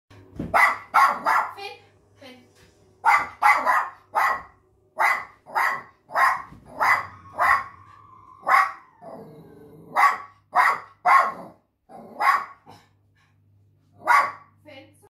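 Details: Jack Russell Terrier in the UK barking repeatedly: sharp, loud yaps in quick runs, about one or two per second, with short pauses and a softer whine-like stretch in the middle, over a faint low hum.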